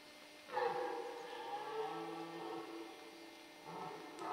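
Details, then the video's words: Rutting red deer in the Forêt de Chaux near Dole, Jura, amid male fights and hinds: one long, hoarse, moaning bellow held about two and a half seconds, followed by a shorter rough groan near the end. "Brame du cerf en forêt de Chaux"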